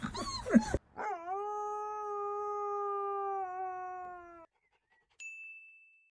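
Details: Puppies trying their first howl: a burst of rough noise, then one steady, drawn-out tonal howl lasting over three seconds, followed by a brief ringing tone.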